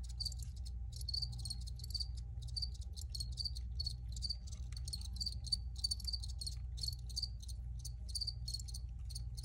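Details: Recorded crickets giving steady high-pitched chirping, many short pulsed bursts packed closely together without pause, over a constant low background hum.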